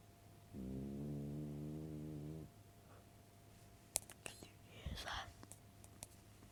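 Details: Dog snoring at home, a single low, buzzing, sustained snore of about two seconds, followed by soft rustles, clicks and faint whispery sounds.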